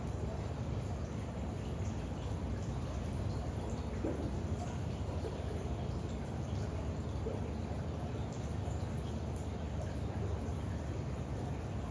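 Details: Only a steady low rumbling background noise with faint hiss is heard, with no animal call.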